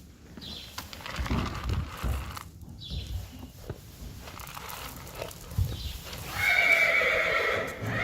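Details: Friesian mare and her one-day-old filly in a stable, March 2020; soft knocks and hoof sounds early, then a clear harmonic whinny rising and holding near the end for about one and a half seconds.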